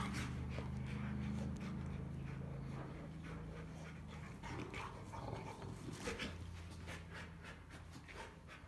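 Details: Rottweiler panting during hard play between two Rottweilers, the big male Clyde and the much smaller Cruella. Quick, breathy rasps repeat about four times a second and fade slightly toward the end over a steady low hum.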